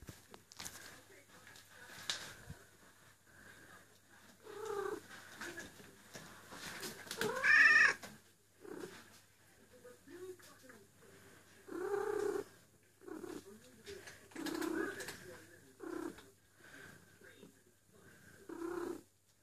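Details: Eule, a female cat in heat calling for a mate indoors, gives long drawn-out yowling cries in bursts of one to two seconds, repeated every few seconds, one louder rising wail in the middle, with faint handling noises between calls.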